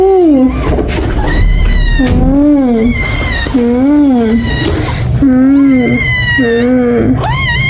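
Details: Pet Munchkin cat Rang, greeting its owner back from an outing, meows insistently in a long run of wavering, drawn-out 'ung' calls roughly every second, rising then falling, with a steady low background hum.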